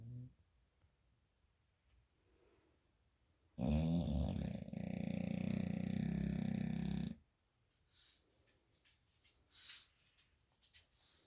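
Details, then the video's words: Jackson, an American Bully asleep on the bed, gives a single long, loud snore of roughly three and a half seconds, deep and rattling with stacked harmonics, then soft rustling and quiet breaths. "Jackson Snore 2"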